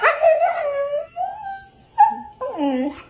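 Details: Siberian Husky vocalizing in long, wavering, harmonic-rich howls that slide down then level off, broken by a short sharp note near the two-second mark and a final falling moan.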